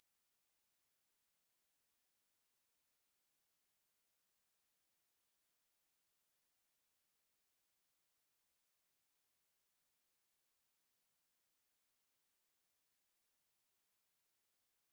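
A conehead katydid gives a continuous, high-pitched buzzing trill that runs without a break.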